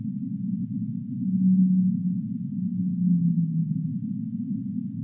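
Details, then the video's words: Whale in the deep sea: two low, steady moaning tones, the second sliding slightly downward, over a constant muffled low rumble with nothing higher in pitch. "Whale Sounds of the Deep Sea"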